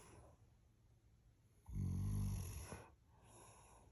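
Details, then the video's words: Loud snoring from a sleeping dog: one long, low, vibrating snore of about a second rises out of soft background hiss, then fades back to quiet breathing. "SNORING DOG...LOUDLY"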